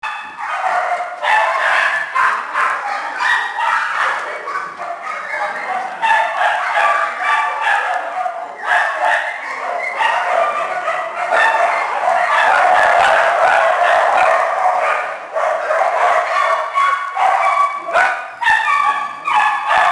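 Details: Small dogs and puppies in a shelter kennel keep up a dense, continuous chorus of overlapping high yips and barks, many animals calling at once with hardly a pause.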